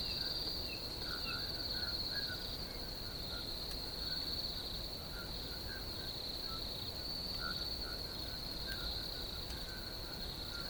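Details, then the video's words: Steady high-pitched cricket trilling outdoors, nearly continuous and even in loudness, with faint lower chirps scattered through the background. "RELAX TO THE SOUNDS OF NATURE CRICKETS"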